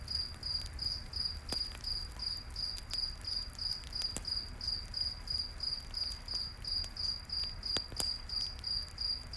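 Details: High-pitched cricket chirps at night in the forest by a campfire pulse steadily, close to three per second, while scattered crackling snaps of the fire punctuate the background.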